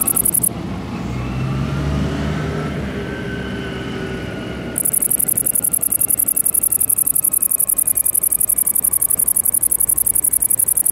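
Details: Tettigonia viridissima, the great green bush-cricket: a brief high buzz at the start, then a low engine-like rumble, then the shrill, fast-pulsed buzzing song resumes and runs steadily to the end.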